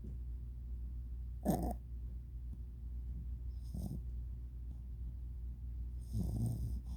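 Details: Yorkshire Terrier named Choi Ramyeon snoring while asleep: three soft, low, breathy snorts spaced roughly two to two and a half seconds apart, each a short rasping burst, over a steady low background hum.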